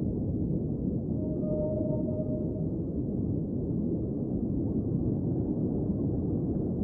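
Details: Whale underwater: one steady tonal moan with faint higher overtones, held for about a second and a half, rising out of a dense, constant low rumble of underwater noise.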